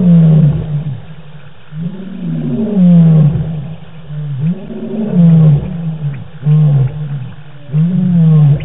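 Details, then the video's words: Nighttime lion roaring from the African bush, captured by a live camera on 25 March 2018; a series of deep, sliding grunting roars repeated roughly every one to one and a half seconds, each falling in pitch. "Lions roar"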